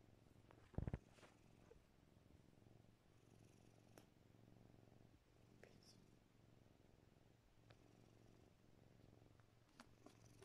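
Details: Spoiled pet cat held in its owner's arms, petted and kissing her nose and lips, giving a soft, steady low purr throughout, with one sharp click near the start and faint rustling.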